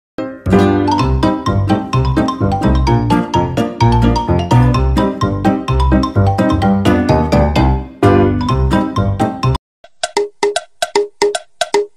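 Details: Loud rhythmic music with bell-like chimes, then a brief gap and plucked tinkling notes; no animal sound.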